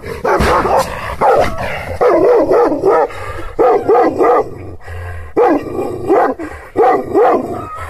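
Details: Angry, aggressive Kangal shepherd dog of the Aksaray Malaklı type barking fiercely. Loud, deep barks fall in rhythmic groups of two or three, repeated roughly every second, with a low background hum.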